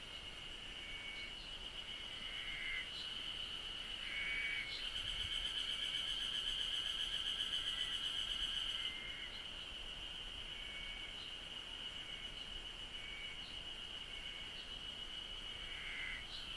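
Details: Japanese cicada chorus: a continuous shrill buzz runs through the whole recording, swelling midway into a louder, rapidly pulsing burst lasting about four seconds before settling back to the steady drone.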